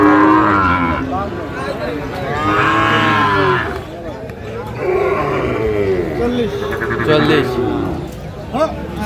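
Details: Sahiwal bulls in Natore, 2 February 2025, where a farmer buys a bull: repeated loud, low bellowing moos overlapping one another, several cattle calling in turn, with faint crowd chatter behind.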